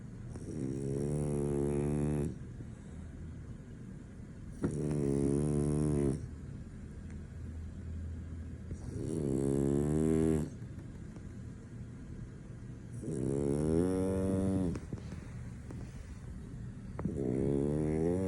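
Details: Soundly sleeping French Bulldog that won't wake; five steady rasping snores, each around one and a half seconds, repeating about every four seconds with soft breaths between.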